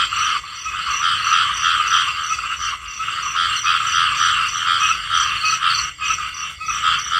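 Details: Dense chorus of many small frogs calling together: rapid, overlapping rattling croaks in a steady mid-to-high pitched band, pulsing unevenly with brief dips in loudness, running continuously with no other clear sounds.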